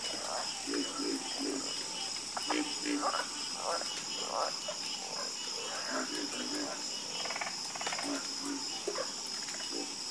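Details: Calming chorus of croaking frogs: clusters of short, grating croaks rise and fall in loose groups, set against a dense, hissing high drone that fills the background throughout.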